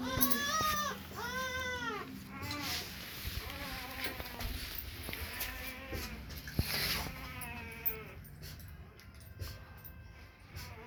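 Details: A female Rottweiler puppy in Parthapghar gives a run of high, arching whines and yelps.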